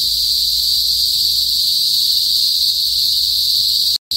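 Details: Kuliglig, Philippine cicadas, in a northern Philippine province, usually calling before sunset: a loud, steady, unbroken shrill drone centred high, with a brief dropout near the end.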